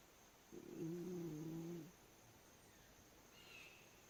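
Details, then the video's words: Raccoon asleep under some steps during the daytime, snoring: one drawn-out, low, buzzy, droning breath lasting just over a second, steady in pitch, then quiet with faint background hiss. "Raccoon Snoring"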